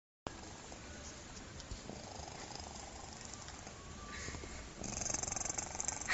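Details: Domestic cat snoring, its steady low raspy breathing likened to a human's snore, a soft continuous rumble that grows louder and more pulsed near the end.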